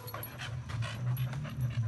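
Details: Cocker schnauzer mix dog panting: rapid soft breathy puffs in quick succession, with a low steady hum underneath.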